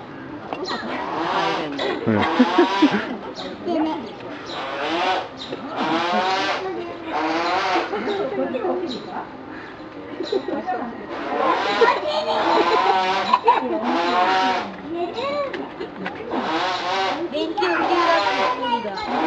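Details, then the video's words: Captive male chimpanzee at Nagoya Zoo, Japan, May 2011, blowing fart noises with his mouth; a long series of rough, sputtering raspberry bursts repeated every second or two, with visitors chatting in Japanese and English. "Chimp Making Fart Noises"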